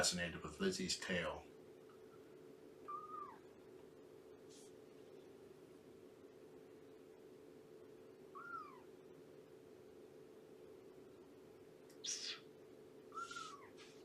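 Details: Shelby, an estimated two-year-old abandoned cat with kittens about three months old, on a morning foster visit for Purrfect Pals: three brief thin mews, each dipping in pitch, after a burst of human speech, with faint clicks and a low steady hum.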